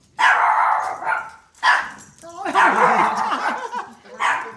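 A Pomeranian puppy gives short, high yappy barks in quick bursts.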